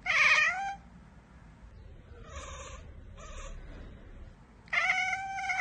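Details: Cat chattering at a bird or insect out of reach, two loud harmonic chirps framing a run of softer, rapid clipped notes.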